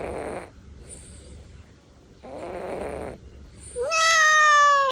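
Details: Devon Rex cat snoring while asleep; two breathy, rasping snores arrive about two seconds apart, followed by a loud, steady, high whining tone at the end.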